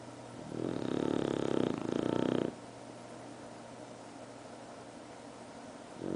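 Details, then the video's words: Bru, a bulldog, snoring: one long rattling snore of about two seconds, a quiet gap of several seconds, then the next snore beginning. "bru snoring more"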